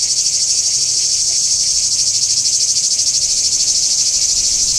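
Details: Singing cicadas, Kardamyli, 2013: unbroken shrill metallic buzzing, rhythmically throbbing about three times a second at constant loudness.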